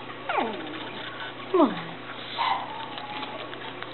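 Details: Japanese Chin puppies of the Niko x Pixie litter, 30 November 2013, give two falling whimpers with clear harmonics, the second louder and dropping into a low tail, then a faint drawn-out whine, with indoor room tone.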